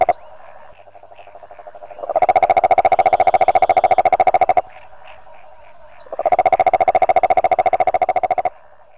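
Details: Two loud, rapid pulsed trills from a Rhinella margaritifera toad, each about two seconds long and steady in pitch, with a quieter stretch of faint background pulsing between them.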